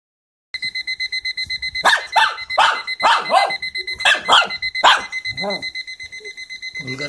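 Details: Shih Tzu barking at a ringing alarm clock: rapid bursts of sharp barks over the clock's steady pulsing high beeps, which continue throughout.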